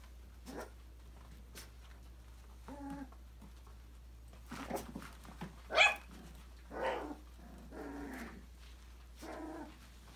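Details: Playful yaps from a litter of five-week-old Australian Labradoodle puppies exploring an enrichment playground indoors; irregular high barks and whines, one sharp loud yelp near the middle, soft thumps and a constant low hum beneath.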